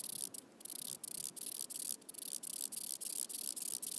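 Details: Wing-buzzing toothed grasshopper, Stenobothrus rubicundulus, recorded at Mala Ucka, Croatia, on 26 July 2023: a high, dry buzzing rasp broken by short regular gaps about every third of a second, over faint low background noise.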